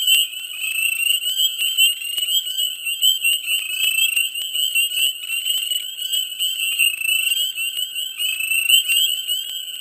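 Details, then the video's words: Frogs calling densely in a mid-spring swamp, many voices blending into a steady high-pitched ringing trill, dotted with quick chirps and brief click-like notes, loudness swelling and dipping unevenly. "Frogs,Dense,Mid Spring,Swamp Sound Effects"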